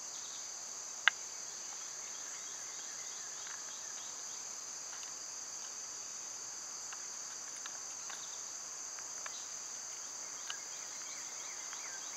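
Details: A dense cicada drone in summer, high and unwavering, over scattered brief clicks and taps and a few very faint chirps; one sharp knock stands out near the start.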